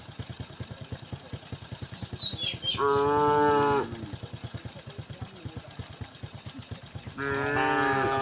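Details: Tame cows in a herd of dozens walk a quiet country road; two drawn-out, level moos ring out over steady rhythmic footsteps, with a few high bird chirps just before the first.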